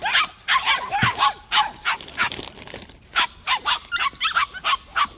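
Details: Several white puppies at a plum orchard yap in quick, high-pitched bursts, short sharp yips coming in clusters with brief pauses between runs.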